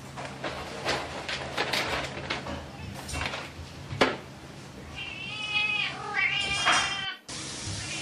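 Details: A playful cat's drawn-out wavering meow rises out of a stretch of clicking and shuffling noises, then the sound cuts off abruptly near the end.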